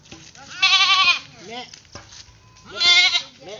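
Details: A pet goat bleats twice, loud wavering nasal bleats with rich harmonics about two seconds apart, while a person laughs and chatters nearby.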